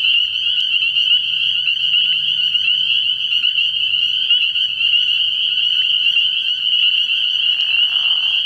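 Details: Massed spring peepers call at a frog pond at night in early spring, a continuous piercing high chorus of overlapping peeps. A faint low throb sounds early on and a soft rushing noise comes near the end.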